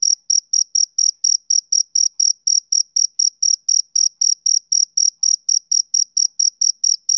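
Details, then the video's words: Shrill, regular chirps from a male cricket, about four per second, each a short bright burst with a thin higher tone above it. No background noise. "Cricket Chirping Sound Effect"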